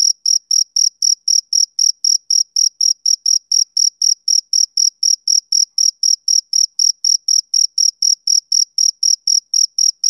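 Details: Steady chirping of a male cricket on a summer evening: bright, high-pitched pulses repeated evenly, roughly four each second, alone against a silent background.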